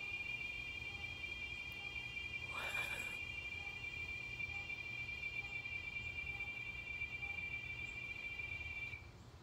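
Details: Giant cicada in the San Antonio area of south central Texas, loud enough to hear from indoors, giving a steady high-pitched whistle held unbroken for about nine seconds with faint overtones; a short rustling burst intrudes near the third second.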